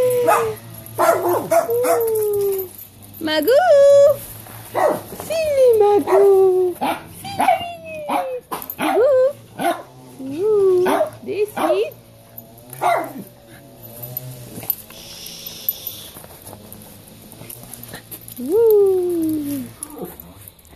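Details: Domestic dogs bark and yip in irregular bursts at a gardener's lawn mower droning behind, while a person speaks and hands out treats during the mower noise to countercondition them.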